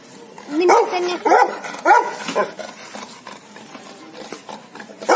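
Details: Aggressive guard dogs, Labrador and Rottweiler pets, barking hard: a run of harsh, loud barks about every half second, then quieter scattered yips and rustling.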